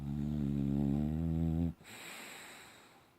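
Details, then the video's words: Bella, a pet Boxer dog, snores while sleeping and dreaming indoors: one long, low, rattling snore of about 1.7 seconds with a buzzy, pulsed texture, then quiet breathing noise in a small room. "Boxer dog snoring and dreaming"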